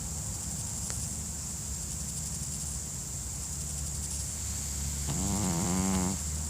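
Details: Pekingese (Canis familiaris), snoring.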